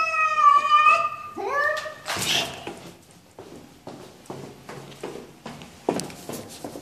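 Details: Cat giving two short rising meows indoors, followed by rustling, taps and shuffling noises, with quiet speech in the background.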